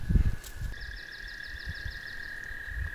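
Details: An American toad in spring, calling in the background near water, gives a long, steady, high musical trill holding one pitch, after a red-winged blackbird, with low handling thumps and wind underneath.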